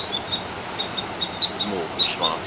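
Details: Squirrels call loudly in South India near the Arabian Sea in June 2020. A squirrel gives rapid, repeated, sharp, bird-like high-pitched chirps over faint background voices.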